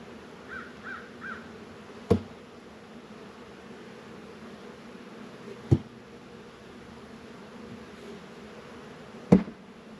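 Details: Honey bees working at Warre and Langstroth hives in an apiary in northern Kentucky on a 72-degree February day. A steady low hum runs throughout, broken by three sharp knocks about three seconds apart, with a brief triple chirp early on.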